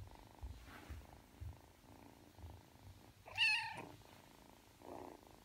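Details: Aki, a Ragdoll kitten aged three months, kneads and purrs before falling asleep; a gentle rhythmic purr carries on beneath one brief, sharp mew partway through.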